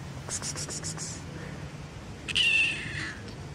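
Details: Fluffy kitten at play with fingers gives one short, thin meow, fairly flat and high, after soft tapping noises and a faint low hum.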